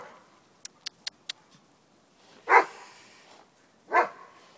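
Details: Snowy playtime for Rudy, a Doberman, and Tally, a Miniature Pinscher; four quick clicking ticks come first, followed by two separate, forceful barks about one and a half seconds apart.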